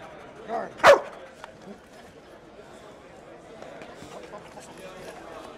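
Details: Single loud, abrupt bark from a police dog during training under distraction at the 2009 Invictus Law Dog Conference, Las Vegas, Nevada, standing out from a quiet hall with faint voices and low background murmur.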